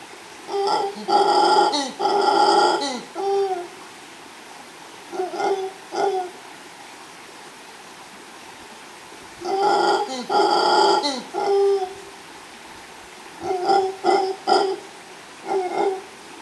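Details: Mantled howler monkey male roaring near a female at Los Tuxtlas Biosphere Reserve, Veracruz, Mexico, recorded live by chance; clustered hoarse roars and grunts in three bouts, with softer single grunts between and quiet pauses.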